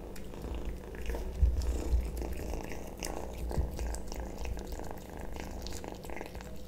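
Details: A kitten purrs while eating sausage indoors: continuous deep rumbling purr beneath irregular moist chewing and lip-smacking clicks, with a few louder taps around one and a half seconds.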